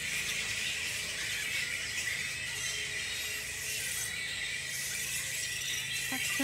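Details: A colony of perhaps a thousand bats in a tropical park on Queensland's Sunshine Coast, Australia, keeps up a dense, continuous high-pitched squealing chatter, a steady wall of shrill sound with no pauses.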